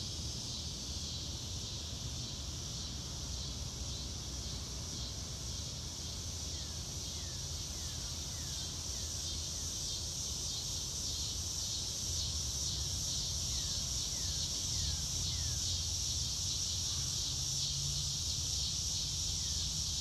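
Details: Steady high cricket chorus outdoors beneath a blue sky, joined by a bird giving runs of quick descending whistled notes repeated in short series, with low rumbling noise throughout.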